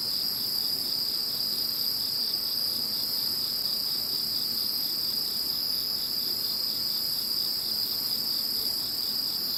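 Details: Insect voices after the passing of Typhoon No. 21: a steady, shrill, multi-layered chorus of trilling, one piercing tone constant throughout while a higher voice shifts slightly midway. Insects alone are heard.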